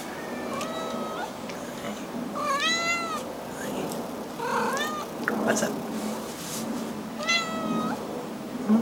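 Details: Blue point Siamese kitty indoors in an apartment, approached by its owner, meows repeatedly: a short level meow, a louder rising-falling wail around three seconds, and another late on, with a person talking softly between calls.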